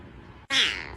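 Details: Domestic cat giving one short meow, a quick bright cry that slides downward and lasts about half a second, heard after a moment of quiet room noise.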